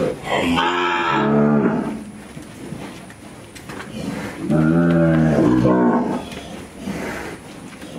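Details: Brahman cattle from a ranch herd being penned and worked during a handling demonstration; two long, deep, harmonic-rich moos, the first around the one-second mark and the second near five seconds, with quieter gaps between.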